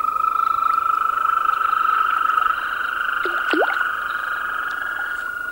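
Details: European green toads in chorus: overlapping sustained trills, one steady and one slightly higher and pulsed, running continuously, with a brief sliding squeak partway through.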